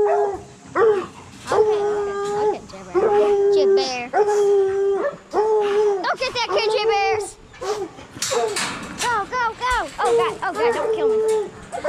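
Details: Coonhounds, bluetick and black and tan, in training to hunt raccoons. Drawn-out, bell-like baying howls repeat about every second, each a steady tone with rich overtones. Sharper, choppier yelps break in toward the end.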